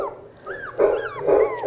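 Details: A playlist of recorded dog barking, played at rising volume to desensitise Australian Labradoodle puppies: short, harsh bursts with rising-and-falling whine-like yelps, muffled and reverberant as if through a speaker in a room.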